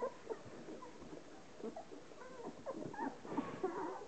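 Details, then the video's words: Ten-day-old Hovawart puppies, thirteen in the litter, being washed by their mother Relax; quick clusters of small squeaks and wavering whimpers among rapid licking noises. "Hovawart bitch Relax washing her 10 days old puppies"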